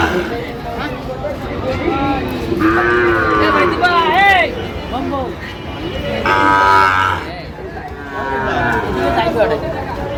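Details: Sahiwal bull calf, about six months old, at a cattle market in Madaripur, Bangladesh, on 25 August 2025: two drawn-out, steady moos separated by a few seconds, amid men haggling over price and general crowd chatter.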